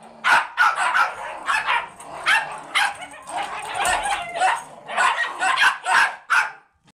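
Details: Pair of Rat Terrier foster dogs, one dressed in a sweater, vocalising as dogs play together; shrill yips and barks in irregular bursts, some drawn out and whiny, trailing off at the end.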